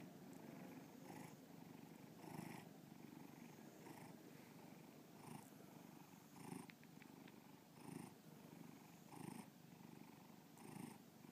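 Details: Domestic cat named Bubba purring indoors, recorded as an art exhibit for the 2013 BubbaPalooza show at Breakneck Gallery in Lakewood, Ohio; low rumbling purr swelling in pulses roughly every 1.4 seconds.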